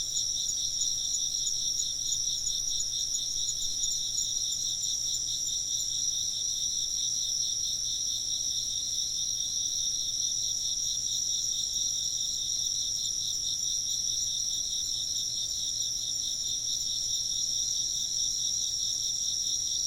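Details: Constant chorus of chirping insects, high rapid trills in stacked bands that run unbroken and even in loudness across the whole recording, a faint low hum beneath; ambient sound for work or sleep.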